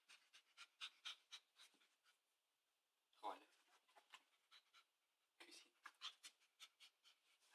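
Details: A Chihuahua going crazy for chicken wings pants in rapid, breathy huffs, with louder snorting grunts about three and five seconds in; a person's voice may be faintly mixed in.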